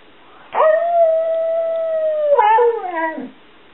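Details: Stewart Little, also called Bubba, a 7-year-old Border Collie mix, "talking" in answer to being asked whether he loves his family: a long steady howl held nearly two seconds, then a short wavering, falling yodel-like tail.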